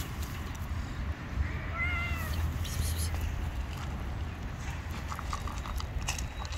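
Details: Hungry stray cat living on the street, running toward a familiar voice and giving one clear, drawn-out, slightly rising-then-falling meow near the middle, over constant low rumbling background noise.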